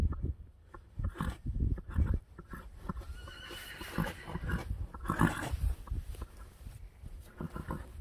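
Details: Friesian horse, one of a stable of 25 Friesians, gives low rumbling snorts among hoof thuds, then a short harmonic whinny near the middle, with scattered knocks and faint background noise.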